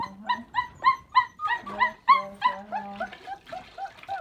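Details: Three puppies protesting confinement, eager to roam the house, caught on a phone in a pocket: quick bright yips and whines several per second, with a low steady hum underneath from floor washing.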